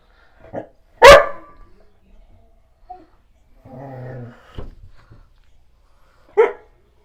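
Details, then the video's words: Black Goldendoodle named Callie barking at family members and a painter indoors; a sharp loud bark near one second, a softer short bark earlier, a low growly murmur around four seconds, then another bark near six and a half seconds. "My Black Goldendoodle Barking"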